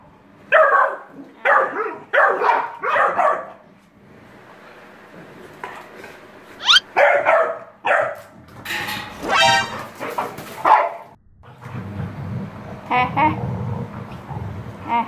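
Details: Pit Bull dog Hewie, described as angry, barking indoors: four short sharp barks roughly every half second, a pause, then a ragged run of louder, more irregular barks and yelps, ending in low rumbling noise with a voice.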